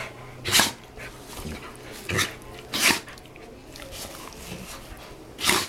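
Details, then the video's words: Dogs playing and making funny noises indoors; short breathy snort-like bursts come about every one to two seconds, with a faint low hum beneath. "DOGS PLAYING MAKING FUNNY NOISE"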